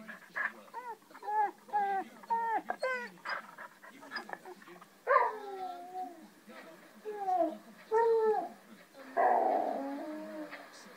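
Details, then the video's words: Recorded dogs crying heard by a Shih Tzu cross Jack Russell indoors: a run of short, rising-then-falling yelping whines, several per second early on, then longer separated wails and a final drawn-out cry. "listens to other dogs barking, growling & crying"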